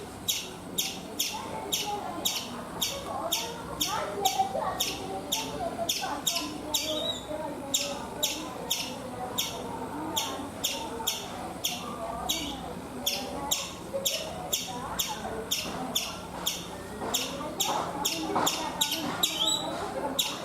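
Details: Chipmunk on a coconut tree in India, giving a long series of sharp, bright chip notes repeated steadily about one and a half times per second, with a soft murmur of other birds and background noise underneath.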